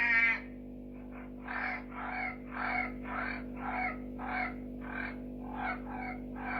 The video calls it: red eye tree frogs singing